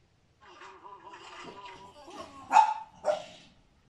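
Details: Cane Corso trained at ALFIPI, with its owner on their second day together, right after finishing basic obedience; a wavering, nasal whine runs for about two seconds before two short, sharp barks close the sequence.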